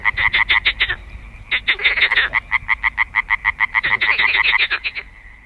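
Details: Tree frogs in Bulgaria, males calling at night near water to attract females, give loud, fast, nasal quacking pulses, several per second in rattling bursts, with a second caller overlapping in places.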